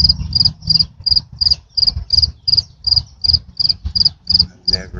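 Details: Large cricket calling steadily: short, high, bright double-pulsed chirps repeated about three times per second, fairly even in rhythm, over a low rumbling background.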